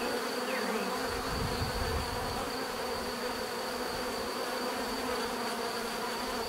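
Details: Bees buzzing in a dense, steady drone of many overlapping wingbeats, with a broad hum through the low and middle range and a thin constant high tone above; a brief louder low rumble passes near the start.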